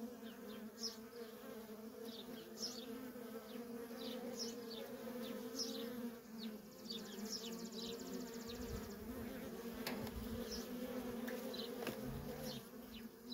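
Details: Worker honey bees at a feral colony keep up an unbroken droning hum, steady in pitch, while quick high bird chirps come several times per few seconds and a few low thuds sound near the end.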